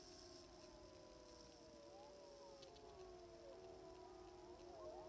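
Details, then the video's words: Chorus of sixteen timber wolves on a hillside in southeastern Alaska's Wrangell-St Elias National Park, September, heard from roughly 700 yards via phone and spotting scope: many faint, interweaving howls sliding up and down in pitch over a steady hiss. "Sixteen Timber Wolves Howling on a Hill in Southeastern Alaska"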